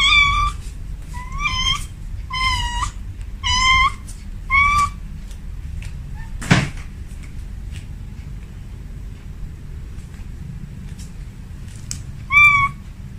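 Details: Female cat at home calling out to a male: a run of five short meows roughly every second, then a sharp knock or cupboard bang, a faint pause, and one more meow near the end.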